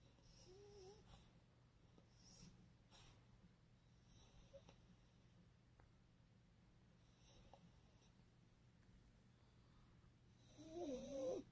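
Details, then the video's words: Snoring male French bulldog, whose breathing eases after a dab of Vicks above his nose: faint, soft snuffling breaths through most of the stretch, then a loud, wavering, squeaky wheeze near the end, with a low hum underneath. "how to stop frenchie from snoring"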